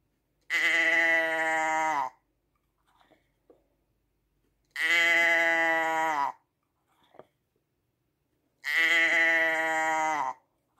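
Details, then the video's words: Sheep repeatedly bleating: three long, evenly pitched, nasal bleats roughly every four seconds, each lasting about one and a half seconds, separated by quiet gaps with faint clicks. "Schaafgeräusch 1 Stunde Sheep sound"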